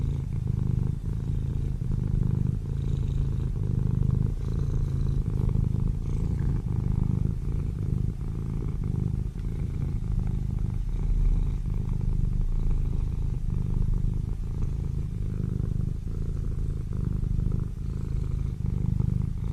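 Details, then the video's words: Kittens asleep, described as snoring, give a deep, unbroken rumble made of quick fine pulses, holding an even level from start to end with no other notable sounds. "My kittens sleeping and snoring"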